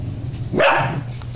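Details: Dog bark with a 5-week-old female puppy and a black dog present: one loud, harsh, broadband burst lasting about half a second, set against a steady low hum.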